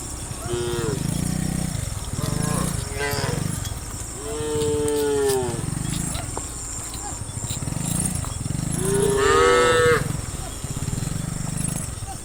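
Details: Dozens of tame cows lined up, running and jumping down a hill, mooing repeatedly: several deep, drawn-out harmonic moos, some short and overlapping, the longest around mid-clip and a rising one near the end, over steady hiss and low rumble.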